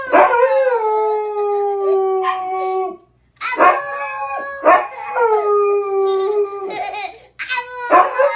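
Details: Family dog responds to a baby's howling with a series of drawn-out, mournful howls, each several seconds long with bright overtones, separated by brief gaps and short yipping onsets, in a small room.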